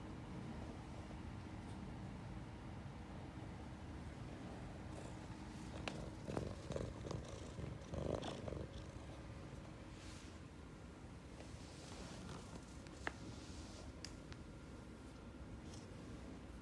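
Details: Ragdoll cat nuzzling and rubbing against its owner for attention, giving an unbroken deep, vibrating purr; light fabric rustling and small taps break in around the middle.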